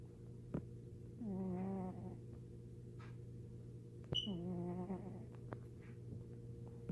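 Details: Sleeping domestic cat making snore-like squealing sounds: two drawn-out, nasal, harmonic squeals about a second long, the second slightly wavering, separated by quiet breathing over a steady low hum.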